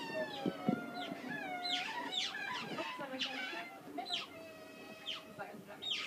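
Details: Group of zoo otters begging while awaiting feeding: overlapping shrill squeals with sharp downward sweeps, several per second from different animals, over a steady lower squeaky chatter.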